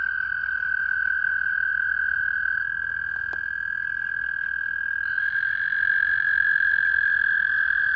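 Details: Many toads mating in a wildlife pond at night in April 2019 give a long, steady, musical trill, their spring mating call.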